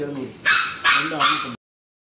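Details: Frightened Labrador Retriever puppy at vaccination, afraid of the injection, giving three loud, harsh yelping cries in quick succession, each following the last by about a third of a second.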